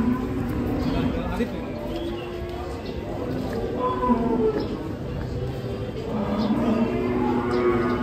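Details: Giant cows being unloaded from a truck give repeated low, sustained moos in short bursts, partly masked by people talking and general crowd noise.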